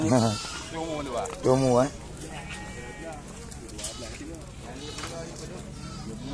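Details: Goats offered for sale in Blangjrun, Aceh Utara: three short, trembling bleats in the first two seconds, then quieter background murmur and voices.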